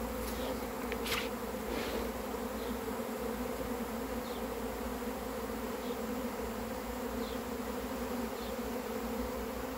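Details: Swarm of honey bees arriving, dense steady droning hum with strong low tones and no pauses, a few sharp higher clicks early on and faint high chirps recurring in the background.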